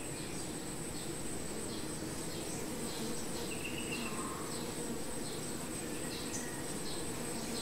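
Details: Honey bees at their hive, a dense low droning hum filling the recording, with a steady thin high whine above and scattered short faint chirps.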